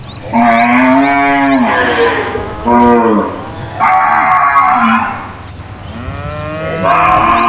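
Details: Cows in a cage exchange loud moos, four drawn-out harmonic calls one after another, each starting firm and sliding lower at the end.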